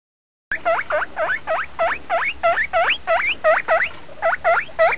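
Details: Guinea pig calling in a rapid series of rising, whistled squeaks, each sweeping sharply upward with a hooked tail, about three per second and fairly even in loudness, with no other clear sounds behind.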